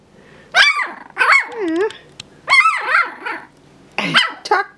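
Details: Jack Russell terrier puppies at three and a half weeks old, from a litter, vocalising in a room: strained yelping whines with wavering, rising-and-falling pitch, in four bursts over a quiet background.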